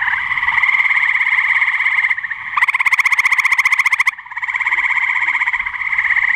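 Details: A male gray treefrog in Cuyahoga County, Ohio, on 30 May 2017 gives long, musical pulsed trills, one after another with brief pauses.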